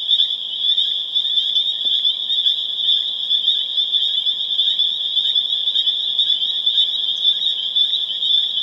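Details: Massed spring peepers calling on April 27, 2011 in Harvard, Massachusetts, a steady piercing whistle of overlapping peeps with individual rising notes popping out about twice a second, one faint low click midway.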